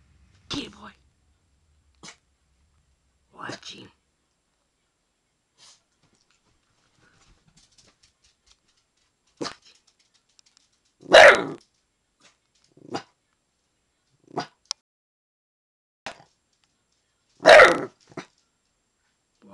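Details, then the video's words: Protecting the yard against an intruder, Little Man, a dog under one year old, lets out scattered sharp, explosive barks separated by silent pauses, with two especially loud barks near the end. "Little Man Barking"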